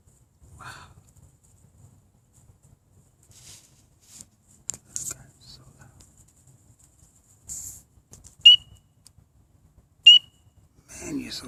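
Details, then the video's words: Coqui frog in Atlanta, Georgia, calling at night from ivy bushes behind a house, its chirping having begun at sunset; two sharp, loud, high chirps sweep upward near the end, about two seconds apart, with faint whispers and rustling between. "I finally found the source of that loud chirping sound heard at night. A Coqui Frog, in Atlanta?"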